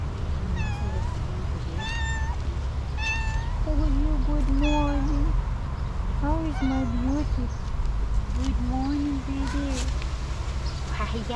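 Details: Female tuxedo cat answering its owner with short, bright meows, several in the first few seconds, each rising then falling; a woman's soft, affectionate talk runs through the later part and overlaps them.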